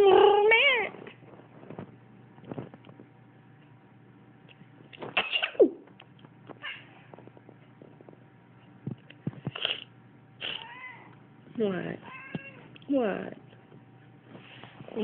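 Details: Pet cat reacting to its owner's sneezes indoors; repeated drawn-out, wavering meows and caterwaul-like cries spaced a second or two apart, with quiet gaps between and faint room noise.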